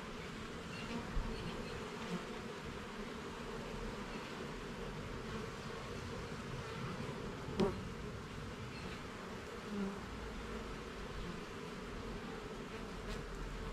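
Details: Garden beehive under inspection, its honey bees producing a thick, unbroken humming buzz, with occasional soft taps and a sharp knock near the middle.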